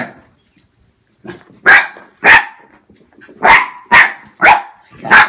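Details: Six-year-old male Pembroke Welsh Corgi barking at boots he finds intimidating; a run of six harsh, forceful barks roughly every half second, with faint background noise between them.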